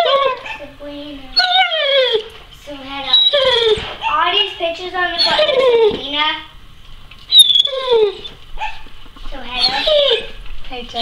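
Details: Male Weimaraner inside whining at the door, wanting out while the neighbour's dogs are outside; clusters of wavering, falling whimpers come in bursts, overlapped by people talking and a door being opened.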